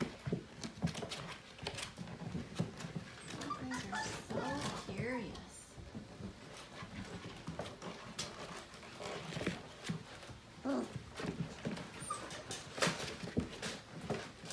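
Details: Portuguese Water Dog puppies just over five weeks old, a litter playing together in the morning indoors: short wavering whines and little growls over constant scrabbling, clicking paws, with human voices in the background.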